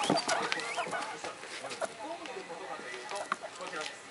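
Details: Young pet guinea pigs, three kept indoors at home, worked up and vocal; a loud opening burst of squeals, then scattered rising chirps and squeaks, with television voices in the background.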